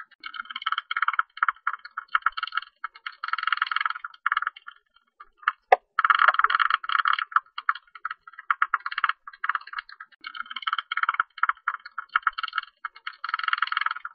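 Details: A Hilgendorf's tube-nosed bat, recorded in Korea in 2020 by the National Institute of Biological Resources, gives bursts of rapid, dry ticking and buzzing calls in quick trains.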